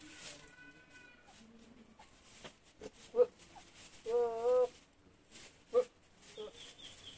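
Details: Javanese goat with a voice likened to an alien: one wavering, tremulous harmonic bleat of about half a second, flanked by a few short sharp calls and a brief higher tone early on, over quiet background noise.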